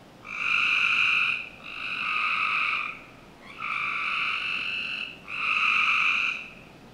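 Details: Frogs calling on a summer night in a Northern Virginia home's backyard: four steady, buzzy, harmonic notes of about one to one and a half seconds each, separated by short pauses, against a faint background hiss.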